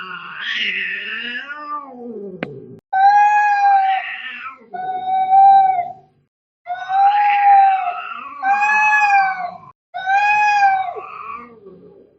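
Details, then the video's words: Cat fight sounds: a wavering, rising-and-falling moan, then a series of loud sustained yowls, some strained and rough, others smooth and level, separated by short pauses. "cat fighting sounds - Scary - Sound like K1ds - Very Angry"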